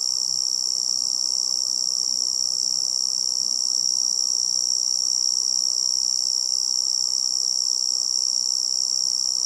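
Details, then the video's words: A tree cricket trills nonstop in a forest setting, a bright, high, evenly pulsed ringing tone that never pauses, layered over soft low-pitched hiss. "Tree Cricket Sound"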